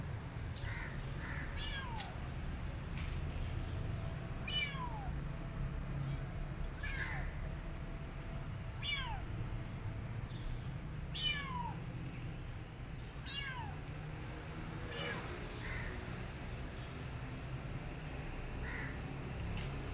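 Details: Male British Shorthair cat named Loki, harnessed because he runs away, described as a defender of his territory, meows repeatedly, around nine falling, drawn-out cries every one to two seconds over constant low hiss.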